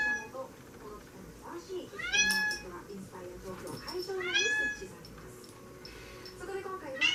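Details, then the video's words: Meows from a tabby Maine Coon: three clear, strong cries with rich overtones, arriving roughly every two seconds, each rising then falling, over quieter low background murmur in a small room. "メインクーンタビー 猫の鳴き声に"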